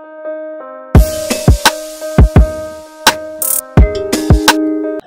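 Music with sustained keyboard chords and heavy drum hits and sweeps, with no animal voice heard.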